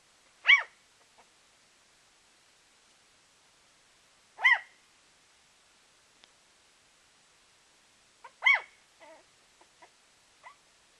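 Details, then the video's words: Puppy making small noises: three high, squeaky whines spaced about four seconds apart, each followed by faint soft squeaks in an otherwise quiet room. "Puppy making adorable noises"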